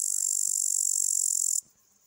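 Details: A male upland green bush-cricket (Tettigonia cantans) sings from a twig, a steady, high, hissing buzz that cuts off abruptly.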